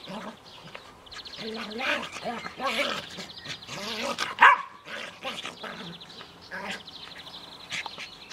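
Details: Australian Terrier Max playing roughly in a garden with Münsterländer companion Wilson; repeated wavering growl-yips and whiny vocal bursts run throughout, with one sharp bark and people talking in the background.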